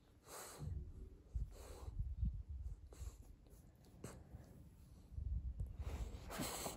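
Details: French bulldog wanting to get under a blanket, indoors: bursts of low, rough snorting and breathy snuffles, a few clustered grunts near the start, middle and end, with quieter breathing between.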